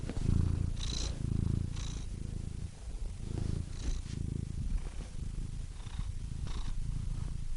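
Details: A house cat purrs close up: a deep vibrating rumble that swells and fades with each breath, light breathy whooshes between swells.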